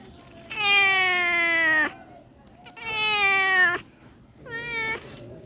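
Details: A kitten gives three drawn-out, slightly falling meows, each over a second long with the last shorter and higher, separated by brief pauses; a person speaks softly just before.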